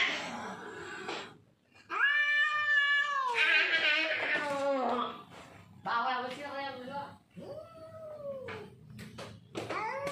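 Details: Domestic cats fighting over territory: loud harmonic yowls and caterwauls, rising and falling, in bursts of one to two seconds with short gaps, a brief human voice at the start.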